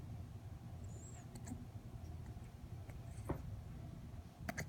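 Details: A seven-week-old female English Bulldog puppy hiccups, with soft, brief clicking catches spaced about every one to two seconds.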